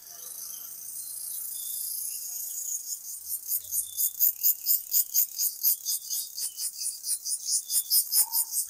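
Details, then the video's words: Village crickets at dawn in cool, foggy air: a thin high trill builds into loud, sharply pulsed chirps repeated roughly twice a second, steady and insistent toward the end. "ভোরের গ্রামে ঝিঁঝিঁ পোকার ডাক"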